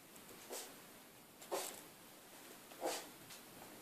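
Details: Three Siberian Husky puppies at play give short, breathy snorting huffs, three distinct bursts spaced one to one and a half seconds apart over a faint hiss.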